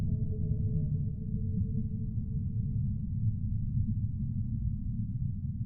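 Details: Humpback whale song: a low, wavering moan with overtones, held for about three seconds before fading, leaving only a continuous deep underwater rumble.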